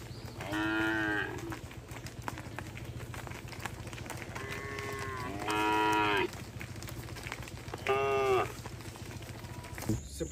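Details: Tame cattle from a herd roaming on a road while being herded; three loud, harmonic moos, each about half a second to a second long, spaced a few seconds apart, over a steady low background rumble.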